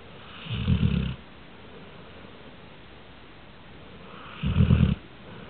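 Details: Sammy Sutton, a dog, snores in two low, raspy bursts roughly four seconds apart, each about half a second long, quiet in between.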